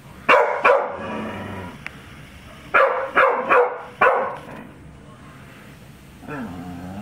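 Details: Female pet dog reacting wildly to balloons, giving bursts of sharp barks, two near the start and four more mid-clip, then a brief whine, while a person scolds her to stop.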